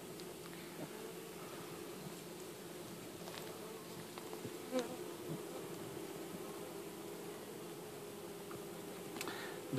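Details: Honey bees in cold weather, their hive needing to hold its temperature: a steady, low droning hum runs unbroken for about ten seconds, with faint scattered clicks and taps over it.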